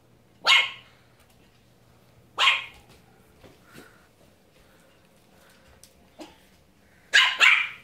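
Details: A female Pomeranian puppy barks at a broom with sharp, high-pitched yaps, single and doubled, with pauses of a couple of seconds.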